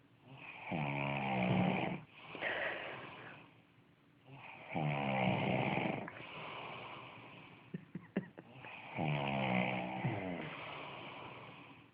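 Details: Tommy Tantrum, a pug, snoring while asleep: three rattling, buzzy inhalations roughly every four seconds, each followed by a breathy exhale, with a few soft clicks between breaths.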